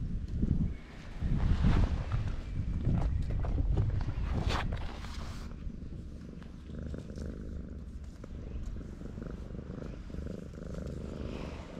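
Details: Stray cat sleeping on a breakwater while being stroked, purring in a low steady rumble; rustling handling noises dominate the first five seconds, then quieter purring with background wave sounds.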